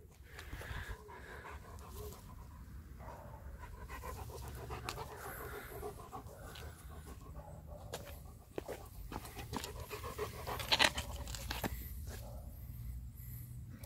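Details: Major, a male German Shepherd, meeting another friendly male German Shepherd; steady breathy panting fills the clip, broken by scattered sharp clicks and shuffling noises.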